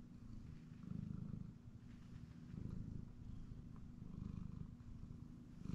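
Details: Male domestic cat napping on a comfy chair indoors, purring steadily: a low, rumbling vibration that swells and fades with each breath, loudest near the first, third and fifth seconds, with no other sounds.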